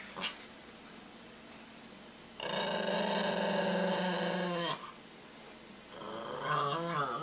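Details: Small Maltese dog facing down a child who pulls hostile faces, growling in a quiet indoor room: a sustained rumbling growl lasting over two seconds, then a shorter, wavering growl after a pause.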